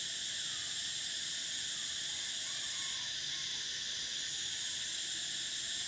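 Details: Summer cicada chorus: a continuous shrill, buzzing hum in stacked high bands that never pauses and stays level in volume, with a faint lower sweep midway through.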